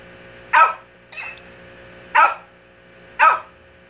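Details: A Shih Tzu yaps at a toy that mimics it: three loud, sharp barks roughly a second or more apart, with one quieter, thinner echoed bark in between, in a small indoor room.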